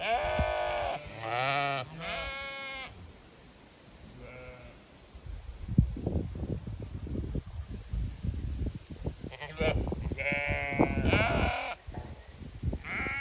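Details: Zwartbles sheep flock on a regenerative farm in County Kilkenny, Ireland, bleating while being checked for fly strike and expecting a move to fresh pasture; harmonic bleats at the start and end, with rustling and a voice between.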